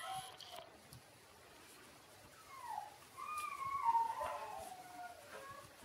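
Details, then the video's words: Shiba Inu puppies Ôkami and Ikkyu at six days old give thin, gliding whimpers: a short falling squeal, then a longer wavering cry that rises slightly and sinks away, over quiet room background. "les chiots shiba Ôkami & Ikkyu 6 jours"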